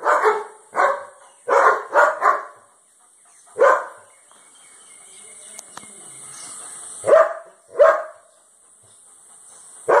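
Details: A German Shepherd guard dog in Cambodia gives loud, deep, gruff barks, some single and some in rapid doubles or triples, with uneven gaps, over a faint steady hiss.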